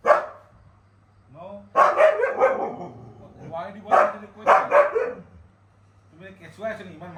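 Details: Winter the pet Siberian Husky quarrels vocally with his owner. He gives loud, bending, howl-like talking sounds in several bursts, and quieter human speech is heard between them.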